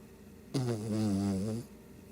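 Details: A single drawn-out snore from a Shih Tzu asleep, about one second of low, rattling, harmonic rumble that starts abruptly and fades.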